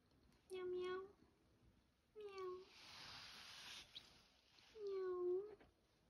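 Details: Kitten meowing for the first time, three short, clear mews, each slightly falling at the end, spaced about two seconds apart, with a soft hiss of background noise between.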